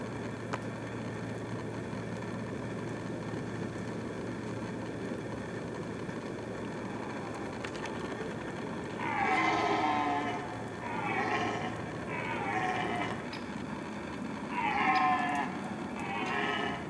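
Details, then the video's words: Red stag roaring in rut season: after a long stretch of low steady humming background, a bout of five drawn-out, harmonic, moaning roars starts about halfway through, spaced roughly every one and a half seconds. "Red stag roaring, rut season /Jelenia ruja"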